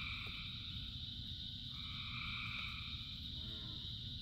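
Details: A rain-soaked frog chorus: continuous high buzzing trills from many frogs blend into an unbroken wall of sound, with one wave rising midway, all above the steady patter and roar of rain.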